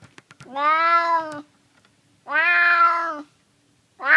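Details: Hungry male stray cat in a San Francisco neighbourhood meowing for food: drawn-out, clear, nasal meows about a second long, repeated every two seconds, in a quiet setting.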